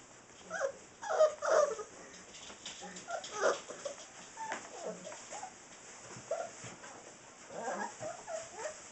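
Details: Saint Bernard puppies, six weeks old, from Ripley and Justice, give soft, uneven whimpers and yips in short overlapping bursts, with a person's voice nearby.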